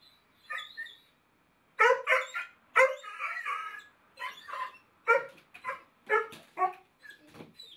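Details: Basset Hound wearing a no-bark collar, barking and baying in a series of hoarse, drawn-out howling barks, about a dozen bursts over several seconds with short gaps between.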